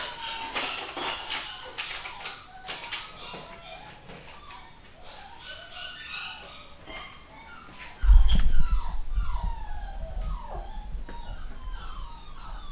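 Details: Litter of pedigree Long Haired Miniature Dachshund puppies, home bred in the UK; thin, high squeaks and downward-sliding whines in the second half, several pups overlapping, with earlier indoor talk and bumping noises.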